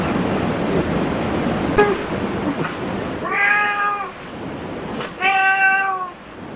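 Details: Cat at a cat cafe giving two drawn-out meows, each under a second long and rich in stacked harmonics, after a stretch of murmuring room noise.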